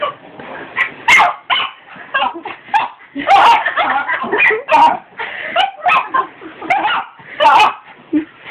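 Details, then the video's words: Dog barking at a vacuum cleaner; a rapid, continuous string of sharp barks and yips, roughly fifteen in eight seconds, with little pause between them. "Dog barking at hoover"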